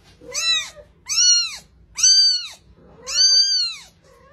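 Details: A fluffy young kitten mews four times in quick succession. Each call is shrill and bowed, rising then falling, and the last is longest, with near silence between calls.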